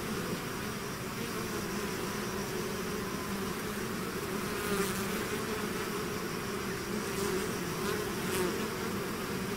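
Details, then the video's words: Honeybee-style swarm pouring out of its hive, a dense steady drone of many wings with overlapping hums near 200 and 400, a few brighter clicks and brief rustles around the fifth and eighth seconds. "bees therapy swarm natural buzzing sound"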